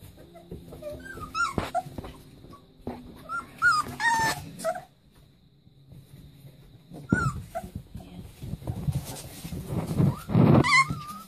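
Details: Leonberger puppies in play let out high, squealing whimpers and yips, some with a rising-falling bend, in bursts separated by quiet gaps, amid scrabbling and rustling.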